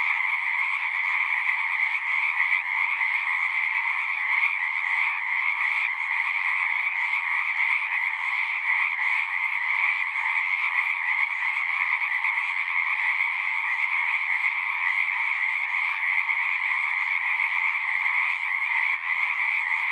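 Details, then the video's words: Natural frog song: countless overlapping callers make a shimmering, rattling drone. Two pitch layers persist at an even volume, with only slight flickers in intensity and no other sounds. "One hour of singing frogs."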